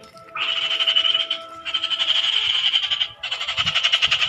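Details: Frogs calling in rapid pulsed trills, three long bursts of fast rasping pulses pitched fairly high, each lasting over a second with short gaps between, and a faint low rumble beneath.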